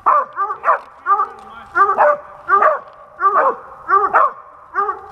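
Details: Dog barking while squirrel hunting in Pennsylvania in 2021: loud, clear, rough barks in quick pairs and singles, coming about every half second against a quiet background.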